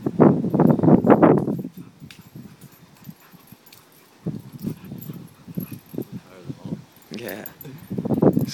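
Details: Puppies play fighting, Lexus and her new puppy friend meeting for the first time; low, rough growling bursts crowd the opening two seconds, then quieter scattered grunts follow, with people talking nearby.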